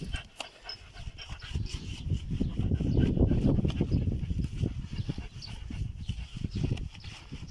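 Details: German Shepherd named Giorgio, in Comarca de la Vera, Cáceres, Spain, being bathed; rapid rhythmic panting fills the recording, with short spoken commands nearby.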